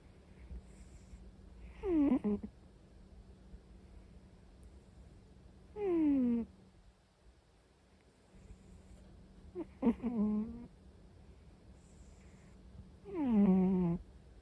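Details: Orange-and-white cat snoring while asleep indoors: four squeaky, falling, tonal snores spaced about four seconds apart, with soft low background hum between them.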